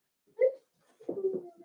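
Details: Young blenheim Cavalier King Charles Spaniel puppies from a litter of five in an indoor pen. One sharp high squeak, then a short pause and a wavering, whiny run of whimpers.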